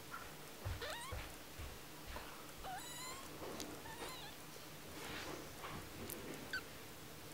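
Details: One-week-old tiny kitten, indoors, giving several short, thin squeaky mews that sweep upward. The calls are scattered through the stretch, with soft background noise between them.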